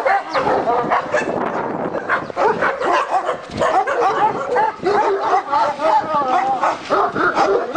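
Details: Turkish Malakli and Korean Jindo dogs at an Alabai kennel bark in a busy chorus, rapid harsh woofs overlapping with higher yelping and some whimpering tones.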